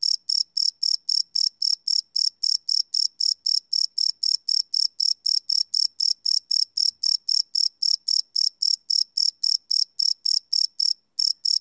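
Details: Cricket chirping at night, live field recording on a Sony PCM D100 with no loops; a long run of sharp, high chirps at an even pace of about four a second, briefly pausing near the end.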